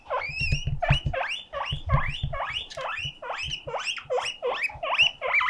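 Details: Pet guinea pig giving a loud, alarm-like siren call to show loneliness: a rapid run of rising, squealing whistles, about two to three per second, each sweeping sharply upward, with soft low thumps beneath.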